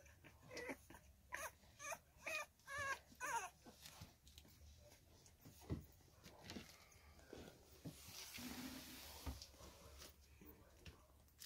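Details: Three-week-old female Staffordshire Bull Terrier puppy from a litter, recorded 6 May 2022; a run of short whiny whimpers in the first four seconds, roughly two per second, then quieter rustling and faint squeaks indoors.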